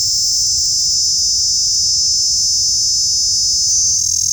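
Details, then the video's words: Tiny insect giving off a loud, eerie, piercing whine, steady and continuous from start to finish with nothing else audible. "Small Insect that makes this loud creepy noise!"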